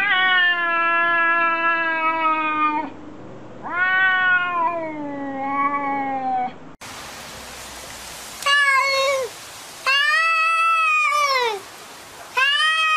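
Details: Domestic cats arguing: long drawn-out harmonic meows, several lasting two to three seconds, some steady and some rising then falling, with sharp cuts between separate calls and brief quiet gaps.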